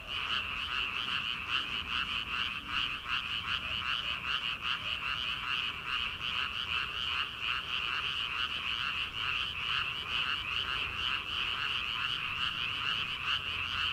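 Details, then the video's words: Paddy-field frogs in early summer, heard before rice is planted, in a thick steady chorus. Quick pulsed croaks follow one another rapidly, more than twice a second, above a constant high-pitched trilling. "초 여름 개구리 울음소리/ 논에서 들리는 개구리 소리"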